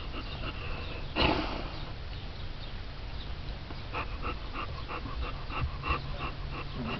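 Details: Alaskan Malamute pups, four weeks old, in rough play with littermates; a brief noisy burst early on, then quick rhythmic panting breaths repeating about twice a second over a low continuous hum.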